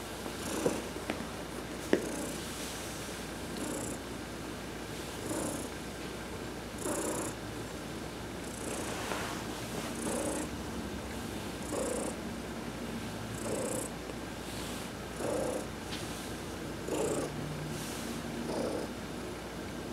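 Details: Adopted house cat Heidi receiving a massage while sunbathing, November 19, 2020; a steady low purr swells with each breath, roughly every second and a half to two seconds, with faint rubbing sounds over it.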